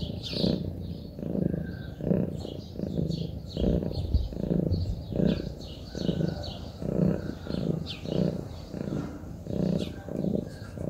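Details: A Munchkin cat at rest gives a deep, throbbing purr, its rhythmic bursts coming about once a second with brief pauses between, against soft chirping of birds outdoors.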